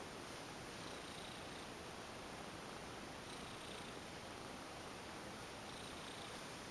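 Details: Female domestic cat, a former stray, going limp and purring while being massaged; a soft, steady, low rumbling purr runs without break through the whole stretch over a faint even hiss.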